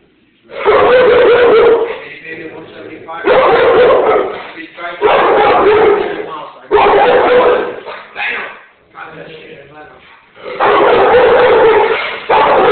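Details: A one-year-old Rottweiler named Buddha protecting the house, giving loud bursts of deep barking in bouts of about a second, separated by short pauses, with a human voice heard in the gaps.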